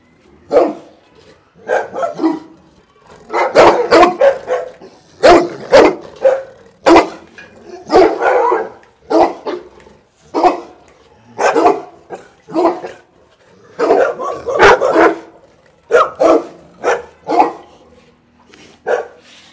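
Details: Bullmastiffs at Dynamic Kennel barking at the camera: deep, loud, rough barks fired in rapid clusters of two to four, with brief pauses between volleys, continuing steadily for nearly twenty seconds.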